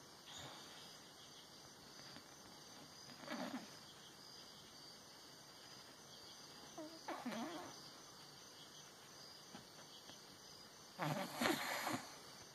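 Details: Sleeping, dreaming Olde English Bulldogge: three soft snorts spaced about four seconds apart, each carrying faint whimpering, wavering tones, over a quiet steady background hum.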